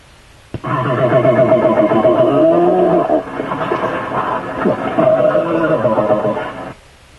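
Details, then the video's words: Bear threat call directed at another bear, from a program on Northern California forest sounds: a harsh, sustained rasping growl with a buzzing, stacked tone, lasting about six seconds with a brief dip midway. "That's a threat call one bear will make to another one."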